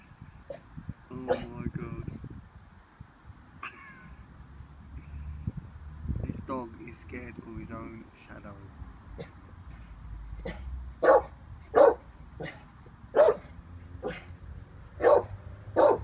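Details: Vinnie, an 18-month-old Staffordshire Bull Terrier unsure of a balloon: a woman talks over faint rustling at first, then sharp single barks come in the second half, spaced roughly a second apart.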